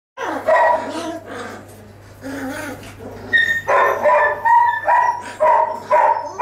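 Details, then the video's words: Litter of 22-day-old puppies calling together: overlapping whiny yelps and squeaky barks, some tonal and wavering, bursting about every half second with a steady low hum underneath. "DarkFall U litter (22 days old)"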